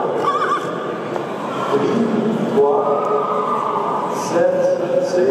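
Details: Belgian Draft Horse neighing at the 2018 central inspection of two-year-old stallions in Ghlin near Mons, Belgium, on 24 November, inside a large hall. Drawn-out harmonic calls rise above men talking, with hooves clattering on the floor.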